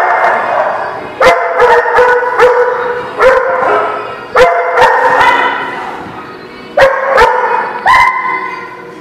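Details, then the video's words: Several dogs at a dog lot bark in bursts, clusters of loud harmonic barks separated by quieter pauses with lingering yelps and whines, punctuated by sharp metallic knocks. "The Barking Lot"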